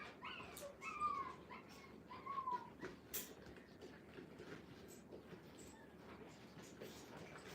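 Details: Five-week-old Brittany puppies placed in a playpen for the first time give a couple of thin, falling whimpers in the first three seconds, then only soft shuffling and rustling in a small room.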